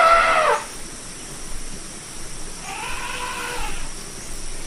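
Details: Elephant trumpeting: a loud, brief harmonic blast that drops in pitch, then after a quiet gap a softer, arched call rising and falling for about a second over steady background hiss.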